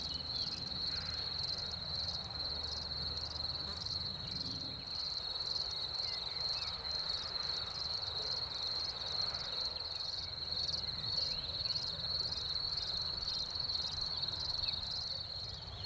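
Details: Crickets in spring after the rain sing a steady, high, ringing trill made of rapid pulses that never pauses.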